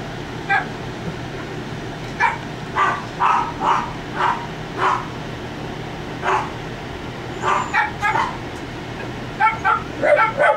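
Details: Two 3.5-week-old puppies, Penn and Stan, Wendy's litter, just up and waddling on their feet, give short high yips and whimpers in irregular bursts, some doubled, over a steady low mechanical hum.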